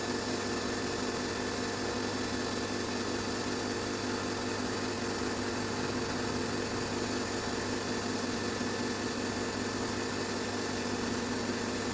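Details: A steady mechanical whir, like a motor or appliance running indoors, fills the recording with no animal calls heard.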